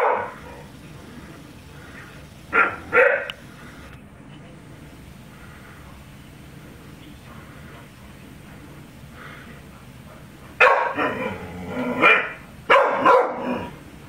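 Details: Female pet dog Charly barking at balloons: a pair of barks early on, a long lull with faint sounds, then a cluster of harsh, loud barks near the end, with a person telling her to stop.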